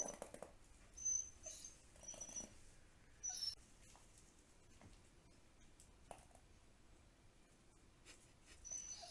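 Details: Dog making strange sounds indoors: brief, thin, high-pitched whistled whines come in short bursts near the start, again around three seconds, and once more at the end, separated by quiet stretches with faint rustling and soft thuds.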